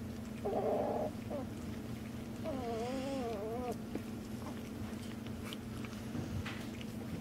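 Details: Two-week-old puppies from a Shooter x Bella litter being stirred up indoors: a short buzzy whine, then a longer wavering, warbling squeal rising and falling for about a second, over a steady low hum with faint household noise.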